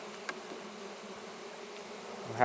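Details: First opening of a Russian honey bee hive on a red stand: an even, low, steady hum of the colony with a single tap early on and a human voice starting at the very end.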